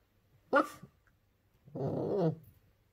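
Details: Daisy, a puppy in her first week at home, protests at a toy she doesn't like: one short sharp yap, then a longer rough, growly huff a second later, in a quiet room.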